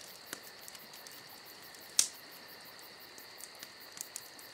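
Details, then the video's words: Against a summer night's constant thin cricket trill, a burning campfire gives small scattered ticks and one bright crackling pop near the middle of this short stretch. "Summer Night Crickets & Crackling Fire"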